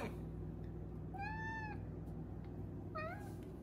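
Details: Five-month-old female Maine Coon kitten indoors, giving two short meows about 1.5 seconds apart, the first a level tonal cry, the second rising then falling, over a steady low household hum.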